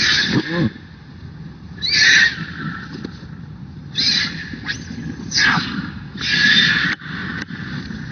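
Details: Little monkey that wants milk cries noisily: several drawn-out, harsh wailing squeals in separate bursts of about a second each, with short gaps and low rustling between.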